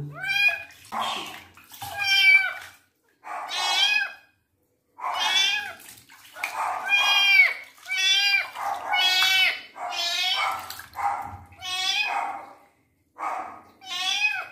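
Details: Twinkle, a male kitten, meows during his first bath as his wounds are cleaned: a dozen loud, arched, strained meows, each about a second long, come in quick irregular succession with brief pauses and faint splashing between them.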